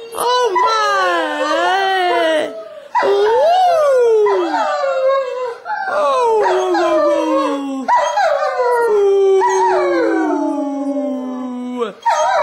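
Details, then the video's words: German Shepherd howling along with a child singing on Christmas morning at home; long sliding howls rising and falling, broken into phrases of two to four seconds, mixed with a young girl's singing voice. "Canine Caroling, German Shepherd Style"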